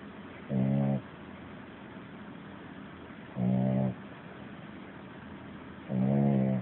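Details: Puppy asleep, snoring louder than a grown man; three rough, low droning snores, each about half a second, recurring roughly every two and a half to three seconds against faint background hiss.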